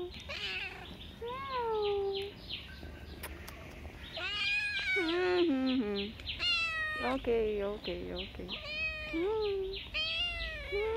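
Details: Street cat meowing almost continuously, rapid overlapping harmonic meows that rise and fall, some sliding low, with a few sharp clicks and faint background noise.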